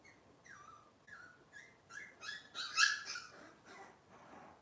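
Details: Cavalier King Charles Spaniel puppies from Robin's litter, filmed indoors on a kitchen cam on a Wednesday morning, give a run of high, sliding whimpers and squeals. The cries fall in pitch, come in quick bursts, and build to a louder, denser outburst midway.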